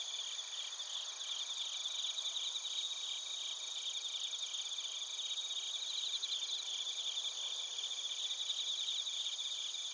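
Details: Chorus of bell crickets and crickets from Narita, Chiba Prefecture, Japan, TASCAM Portacapture X8 recording: unbroken high ringing hum with several stacked tones and quick trilled pulses growing louder around the middle.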